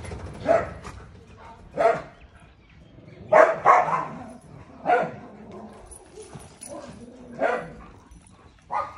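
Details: Single dog barks, loud and abrupt, spaced roughly one to two seconds apart with a quick double bark midway. Quiet pauses between them and faint background hiss.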